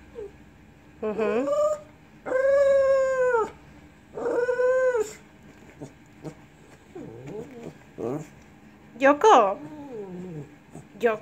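A Lhasa Apso 'talks' in drawn-out, howl-like moans that bend up and down, with a person speaking.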